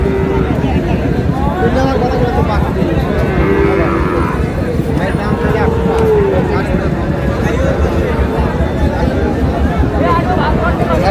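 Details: Friesian and crossbred bull calves at Raniganj cattle market on 10 August; a drawn-out low moo swells and bends downward near the middle, surrounded by constant crowd chatter, bargaining voices and busy market noise.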